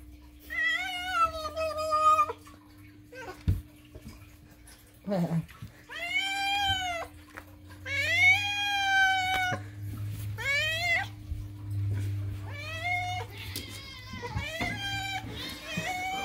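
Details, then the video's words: Indoor house cat insistently demanding food with a long series of loud, wavering meows, some short and clipped, others stretched and bending in pitch, almost continuous over the clip, beneath a faint steady hum and brief human voice. "moo cat loudly demands: "NOM! NOM! NOM!""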